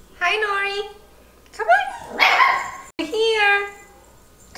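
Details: A female Miniature Schnauzer puppy, aged six weeks to six months, complains with drawn-out, wavering whines and yelps, with a brief burst of noise between.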